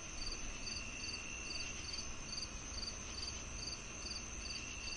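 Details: High, clipped cricket chirps repeat a little over twice per second, steady and unbroken, layered on a continuous insect whine and a dull low background rumble.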